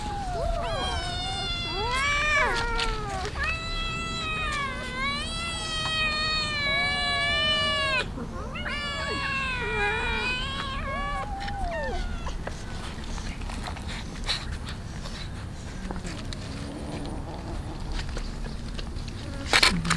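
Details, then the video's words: Many street cats eating raw fish, giving loud, drawn-out, wavering meows one after another for about twelve seconds. The calls then fade to quieter feeding noises and clatter. "Many Cats eating raw fish"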